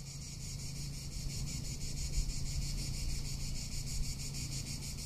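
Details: Summer cicada in Tuscany giving a continuous shrill, throbbing drone with fast regular pulses, while wind rumbles low and gusts a little louder midway.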